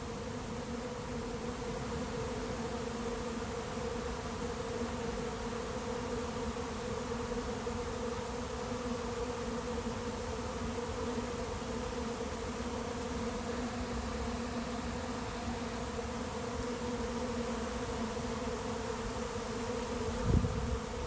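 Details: Late-season swarm of honey bees settling into an empty, unprepared hive, the air filled with them; long unbroken droning hum, steady and dense, with a brief low thump near the end.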